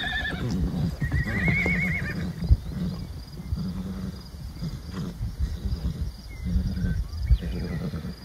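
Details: Stallions and mares of a wild herd in Wyoming, USA; a clear, trembling, warbling whinny rises and shakes for about a second, then low snorts and rumbles continue beneath constant deep wind noise.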